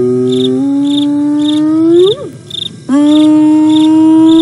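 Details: Contact calling by a hyena in the private Sabi Sands Reserve next to Kruger National Park, South Africa, 08 09 2022: a long, level, droning hoot that rises and cuts off, a short pause, then another sustained low whoop amid cricket chirps.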